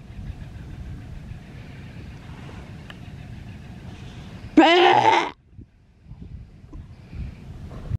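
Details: Male sea lion pup, rescued and cared for at a wildlife sanctuary, calling for attention. One loud, strained, harmonic bawl of under a second sounds mid-clip over a low, steady rumble, followed by quieter thuds.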